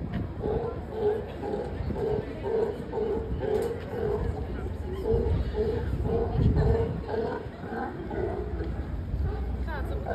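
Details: Sea lions at close range at Pier 39 in San Francisco; a steady series of hoarse, honking barks repeated about twice a second, with crowd voices throughout.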